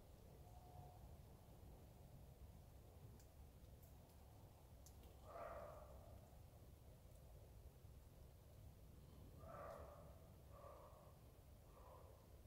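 A roe deer gives short, hoarse barks, a few seconds apart, over a low background hum.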